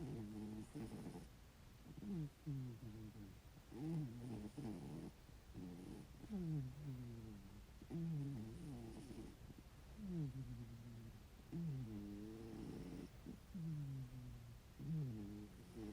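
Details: Sleeping ginger tabby cat snoring loudly indoors, a regular series of wheezy snores with falling, nasal, whistle-like tones, repeating about every second and a half, with soft breathing between them.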